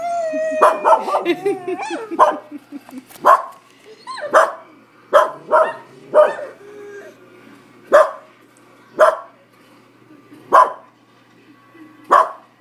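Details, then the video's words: Pet dog Samson barking at a dog on a computer screen: a quick flurry of yips, then sharp single barks roughly every second, a person speaking early on. "Dog barks at dog on computer"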